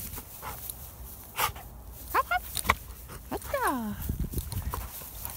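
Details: Dexter, a pit bull, on a solo walk outdoors; a few short rising whimpers followed by a cluster of falling, slurred whines, with footsteps and scattered clicks around them.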